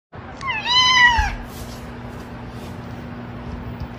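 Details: Domestic cat giving one clear meow of about a second, its tone bending slightly up and then sliding down at the end, over a steady low background hum.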